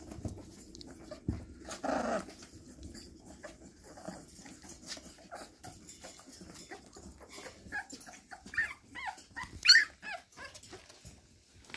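Bull Terrier puppies give soft growls and short, high yips while play fighting.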